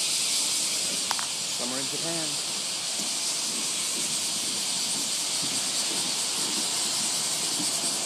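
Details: Loud summer cicadas in Japan heard at a train station in the morning: a steady high hissing drone carries throughout, while a man speaks briefly near the start over a few short tonal beeps.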